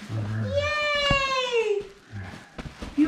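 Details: A pet Basenji, one of two dogs, indoors at Christmas during tug of war with a new toy. A person's low voice is heard first, then a tonal, drawn-out whine that rises slightly and falls over about a second. A sharp click sounds midway.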